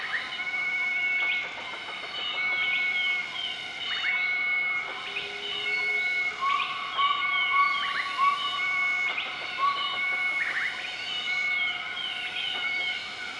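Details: Morning duet call of a southern white-cheeked gibbon group, recorded 20 March 2014 in Nakai-Nam Theun National Protected Area, Laos; repeated short upswept whistles and a run of even tonal notes over continuous shrill insects.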